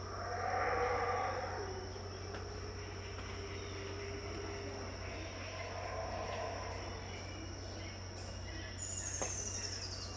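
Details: Around 6am at Tikal, Guatemala, distant howler monkeys give a deep, breathy roar that swells early then fades into softer rumbles, with a ringing insect tone throughout and a brief high bird chirp near the end.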